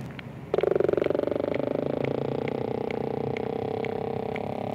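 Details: Sperm whale giving a low, buzzy pulsed grunt that starts abruptly and holds steady, with separate sharp clicks repeating roughly twice a second above it.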